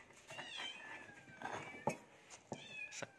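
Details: Domestic cat being fed indoors, giving faint, thin high meows, one drawn-out call near the start and another short rising one near the end, with clicks and small knocks of feeding in between.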